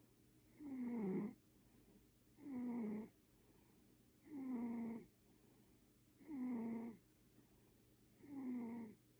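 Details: Sleeping red Maine Coon snoring in a humanlike way, each drawn-out, throaty snore sliding slightly downward, followed by a short pause, about one every two seconds.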